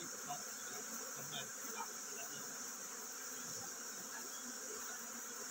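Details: A honey bee colony getting ready to swarm gives a continuous droning buzz from many insects, even in level, with a sustained high-pitched hiss in the background.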